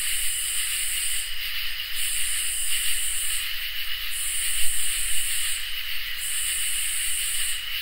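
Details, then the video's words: Summer night chorus of crickets and katydids, with harsh, hissing pulses recurring roughly every two seconds above unbroken, ringing high trills and a soft low background hum. "Crickets and Katydids in Summer | Ambient Night Chorus"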